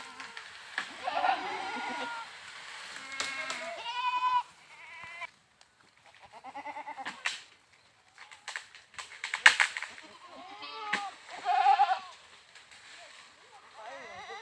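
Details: Goats bleating repeatedly, with quavering, nasal bleats about every two seconds and short pauses between them, some overlapping, with clicks and knocks in the background.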